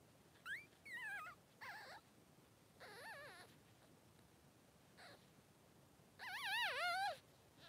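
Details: Newborn Cavalier King Charles Spaniel pups, Blenheim brothers three days old in their mother Pom-Pom's puppy pen, squeal in a series of rising and falling whines, ending in a longer, louder wavering cry.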